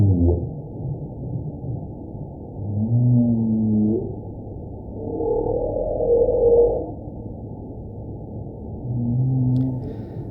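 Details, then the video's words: Humpback whale song, used to attract mates during the breeding season and to communicate with its own species: a series of low groans and moans, some rising then falling, a higher wavering whine midway, separated by short gaps over a low underwater rumble. "Escoltem la balena geperuda."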